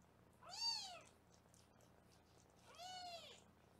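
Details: Two clear, arched kitten meows about two seconds apart, each rising then falling, from foster kittens being weighed indoors on a live Los Angeles kitten cam; quiet room otherwise.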